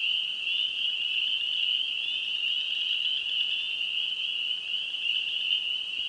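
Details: A dense chorus of spring peeper frogs in Wisconsin, their high piping peeps merging into one shrill, unbroken ring.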